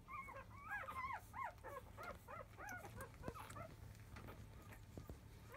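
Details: Five-day-old field-type Labrador Retriever puppies, born to the mother biscuit, fussing as they start nursing just after 1 pm. Several overlapping high, arched squeaks and whimpers come in rapid, irregular bursts, with a steady low hum behind them.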